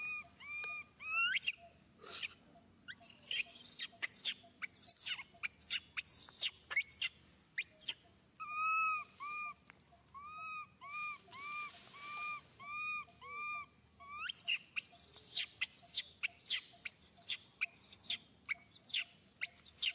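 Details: Grabbed by Susan, young monkey Suca cries pitifully: clusters of sharp, rising squeals and shrieks give way to a long, regular series of bent, tonal wails, then more frantic squealing.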